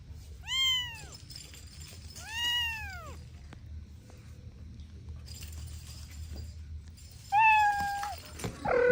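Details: Kittens playing with their mother and two siblings give high, arched meows, two rising then falling sharply near the start and a flatter, drawn-out one later, over a low steady background hum.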